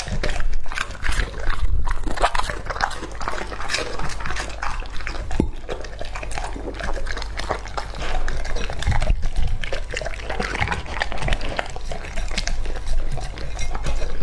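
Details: Lucky, a male English Labrador aged two and a half, eats raw food such as duck breast, duck head, lamb testicles, lamb heart and shrimp: steady wet smacking, slurping and crunchy bites, with loud chomps near the start and around nine seconds.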